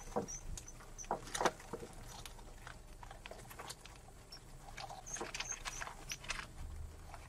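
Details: Pet mice mating: thin, very high squeaks, short and scattered in small bursts near the start and again later, over constant scratching, rustling and tapping of the animals moving about.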